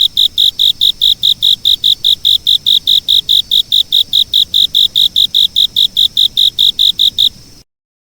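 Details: Insect chirps repeated evenly at about two and a half per second, high and shrill, continuing without pause until the sound cuts off abruptly near the end.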